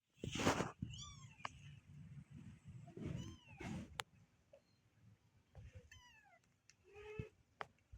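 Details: Newborn kittens giving thin, high-pitched mews that slide downward, several calls spread through the stretch, some overlapping, among soft rustling and handling bumps.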